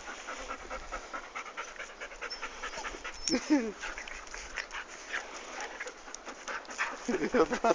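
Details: Three-month-old Golden Retriever puppy Dom plays with his father Guga and brother Hulk in Torres, Brazil. Fast, uneven, breathy panting runs throughout, while people talk over it and a brief yelp sounds midway.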